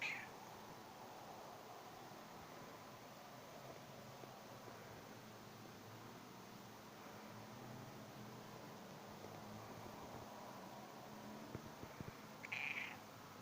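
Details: House cat stroked against the lie of its fur: a brief faint mew at the very start, long near-silence with light rustling, then one clear, short, high meow near the end.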